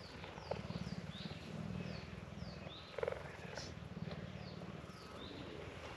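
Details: Captive cheetahs at a conservation centre in South Africa purr strongly while being petted. A quiet, low, continuous throbbing purr runs throughout, with faint high descending chirps and a couple of soft clicks in the background.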